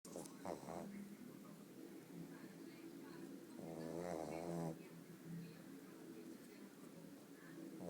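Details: Bóris the pug snoring while asleep indoors: a steady low rasping rumble throughout, swelling into one louder, rattling snore a little past the midpoint.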